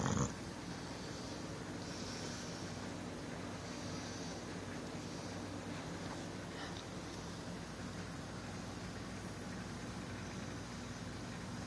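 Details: Snoring of a big male English Bulldog, a recently adopted SPCA rescue, asleep: a steady low rasping breath noise running throughout with faint rhythmic rise and fall, plus a brief louder bump at the start.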